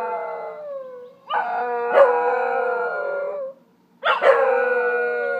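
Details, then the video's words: Howling Scottish Terriers: a fading tail of one howl, then two strong bouts of layered, steady wailing voices, the first lasting over two seconds before dropping away, the second starting abruptly after a short silence. "Singing Scotties"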